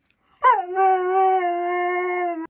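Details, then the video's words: A female Siberian Husky talks back to a smart speaker indoors after being scolded. She gives a sudden yelp-like start that settles into a steady, sustained howling tone lasting about two seconds, then stops abruptly. "My HUSKY Talks To ALEXA"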